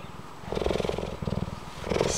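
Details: Old female cheetah rescued years ago and living at a wildlife sanctuary, purring on seeing a person; pulsing low purr in rhythmic bursts with a few short higher notes.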